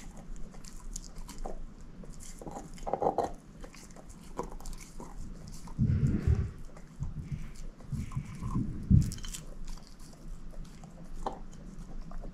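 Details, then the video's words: A female shepherd mix named Moose eats a bone, giving slow, heavy, deep crunching bites a few seconds apart, with thudding cracks and lighter licking and gnawing noises between them. "SHEPHERD EATING BONE ASMR"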